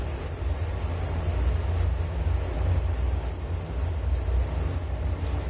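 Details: A nature recording of crickets for relaxation and sleep, a continuous high-pitched pulsing chirp that holds one even tone throughout, over a faint low background hum.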